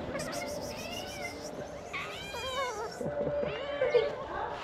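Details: A large family of stray ginger kittens rushing to the food box: several rising-falling meows at a steady moderate pitch, spaced about a second apart, over soft background music.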